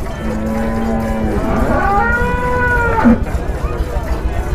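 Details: Holstein Friesian dairy cow giving 40 litres of milk, being milked at Aronkhola cattle market; long steady moo that rises into a wavering bellow near the end, over constant background hum and faint voices.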